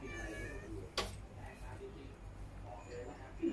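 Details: Stray cat calling for food when hungry, a regular visitor that leaves once fed; faint, sweet meows at the start and a brief louder one at the very end, with a sharp knock and low background hum.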